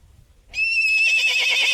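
A mustang's loud, high whinny breaks in after a short quiet moment, starting as a steady shrill tone and then shaking into a quavering neigh.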